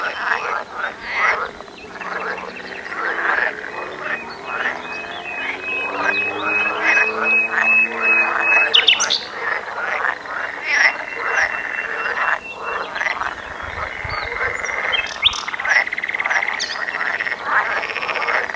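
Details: Frogs singing in a dense outdoor chorus: overlapping rasping croaks and short pulsed bursts that run nearly continuously, with a steady thin whine above and a few sharp high chirps near the middle and end.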